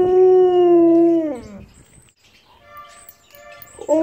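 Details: Siberian Husky howling each time a street corn vendor honks his horn; one long steady tonal howl with rich harmonics that falls away after about a second and a half, followed by quiet and a faint tonal sound near the end.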